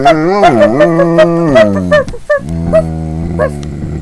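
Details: A pet dog howling indoors: long wavering tones with sliding pitch, broken by short yelping breaks, loud and close throughout.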